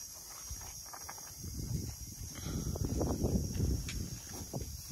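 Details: Baby rhinoceros being led out last to join its friends to graze for the day. Soft, breathy, low sighing or huffing bursts swell from mid-clip onward and fade near the end, mixed with shuffling footsteps on the ground outdoors.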